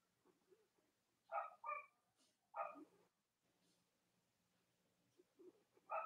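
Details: Live-streamed Cavalier King Charles Spaniel puppies in the US, chilly morning before Halloween: a paired whimpering yelp, another sharp yelp, soft whines, then a final yelp at the end.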